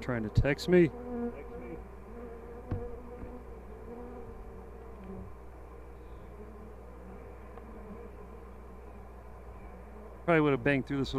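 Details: A honey bee colony hums steadily through a hive inspection at The Mountain, where the hives are bursting with honey and plenty of brood. A low continuous drone, with short bursts of voices at the beginning and end.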